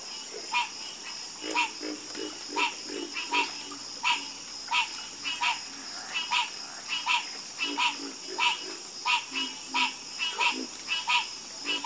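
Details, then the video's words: Chorus of frogs croaking: loud rattling, broadband croaks pulsing out about every half to one second, several callers overlapping in an uneven rhythm, over a constant high-pitched whine in the background. "Calming Sound Of Harmonious Frog Croaking"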